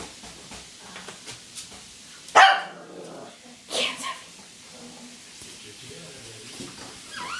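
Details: Sophie, a female puppy, barking at her own reflection in a mirror: two short, sharp barks about a second and a half apart, with quiet room noise between them.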